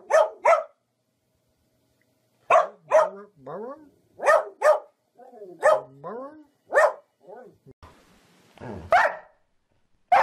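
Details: Pet dog barking repeatedly, mostly in doubled yaps with short silences between, alternating with bits of human speech and a brief noisy rustle near the end.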